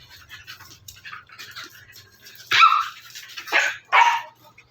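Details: Siberian Husky indoors, giving quiet muffled grumbles and then three loud, harsh barks in the last two seconds, each short and broad-toned.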